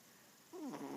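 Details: Male Yorkshire Terrier snoring: silence, then a half-second nasal, whistling, slightly wavering breath tone.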